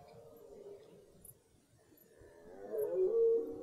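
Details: Rutting red deer in a German forest as the rut begins; a low, moaning roar rises and strengthens toward the end of the short stretch after faint earlier groaning.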